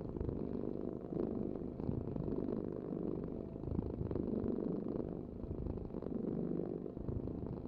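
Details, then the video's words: Domestic cat purring with a steady low rumbling vibration that swells and fades with each breath, roughly every two seconds, in a quiet setting. "the ultimate cat purring vibration"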